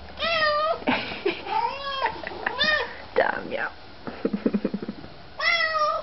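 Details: House cat seeing its owners again and rejoicing: two drawn-out, wavering meows that rise then fall, at the start and end, while a woman talks affectionately in French in between, with some clicking sounds indoors.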